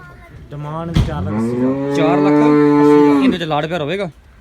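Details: A cow on a Pakistani farm selling Girlendo and Jersey cattle gives a long, loud, level moo of nearly three seconds, deep and buzzy, ending in a wavering fall, with faint talk around it.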